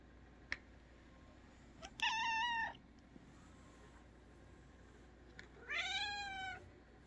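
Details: A domestic cat lying on a ball toy, asked to talk, gives two clear, rich meows a few seconds apart, each sliding slightly downward.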